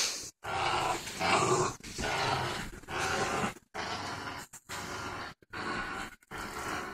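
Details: Ginger, a four-month-old boxer/pit bull mix puppy, growls while playing tug of war: long, rough, rumbling growls in bursts of about a second, broken by short silent gaps, with gruff grunting texture throughout.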